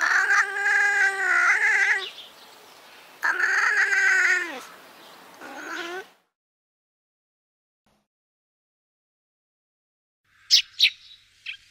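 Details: A European wildcat gives three drawn-out, harmonic yowls, each a second or two long and bending in pitch, then falls silent before a few sharp clicks.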